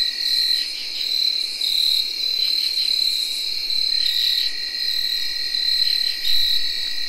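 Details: Early October 2021 night: tree crickets give a continuous shrill whirring trill. Brief buzzy pulses from katydids break in repeatedly, and field crickets chirp within the insect chorus.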